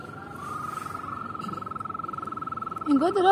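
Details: Frog giving a steady rapid pulsed trill, a sustained buzzing note pulsing about three to four times a second and holding an even pitch, cut off near the end by a louder burst of voice.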